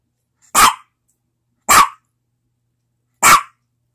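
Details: Domestic dog giving three loud, abrupt barks roughly one to one and a half seconds apart, each bark brief and harsh, with a quiet background otherwise.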